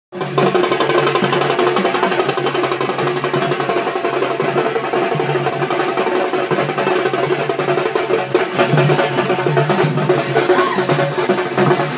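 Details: Loud, steady percussion music fills the whole stretch, with rapid drumming and wood-block knocks and no animal voice audible.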